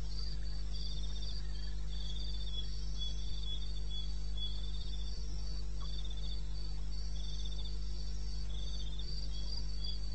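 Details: Crickets calling in wilderness of eastern Botswana at 2:30 AM on 21 May: high, rapid pulsed chirps, several callers overlapping in an even rhythm, over a constant low hum.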